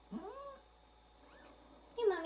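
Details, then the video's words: Newborn kitten crying while its mother is away; a short rising-then-falling mew, a quiet gap, then a second sharper cry at the end, recorded indoors. "Newborn kittens cry when mom is away"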